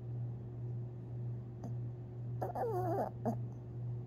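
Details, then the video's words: Dreaming long-haired Chihuahua Tinkerbell, asleep, April 17, 2021, lets out a quick wobbly squeal that twists down and up, followed by a short yelp, over a steady deep background hum and a few soft clicks. "Long Haired Chihuahua (Tinkerbell) Dreaming And Snoring While Sleeping!"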